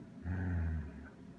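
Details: Six-year-old female Goldendoodle, a pet guarding her favourite toy monkey, gives a single low, rumbling growl lasting about half a second, steady and deep, close by in a quiet room.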